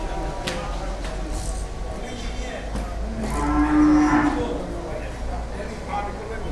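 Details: Heavyweight Damur cow at a Bangladeshi cattle farm during Qurbani 2022 lets out a single drawn-out low moo near the middle, amid steady crowd murmur and scattered knocks.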